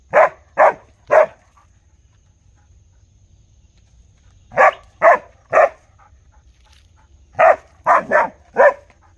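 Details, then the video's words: A real dog barks in bursts of three evenly spaced, punchy barks, then falls quiet for a couple of seconds before the next volley; a final burst of four closes the recording, with no other sounds. "Real Dog Barking | Original Barking Sound Effect"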